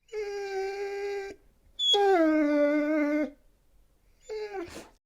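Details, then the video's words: Siberian Husky howling in three long, clear, tonal notes, the middle one longest, each starting slightly higher and settling lower, with quiet pauses between. "Cute husky, Husky sounds"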